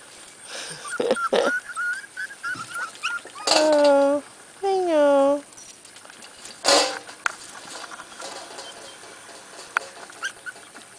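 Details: Corgi puppies brought back indoors after their first time outside: thin squeaks at first, then two long, loud, tonal whines, each rich in overtones and bending in pitch, with a woman talking around them.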